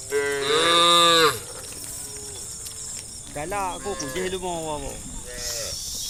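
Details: In late afternoon on a country road, the lead cow of a roaming herd gives a loud, drawn-out moo, calling its herd mates home to the barn, over steady insect buzzing.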